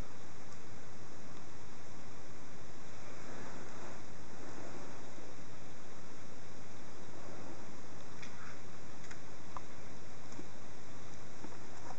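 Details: Quiet indoor room noise with a steady low hum and soft rustles and ticks, without any meowing or other animal voice.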